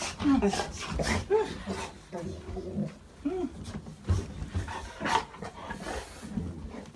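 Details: A Golden Retriever gives excited, high whines and yelps while greeting family members home after several days away on a trip, with people talking over it.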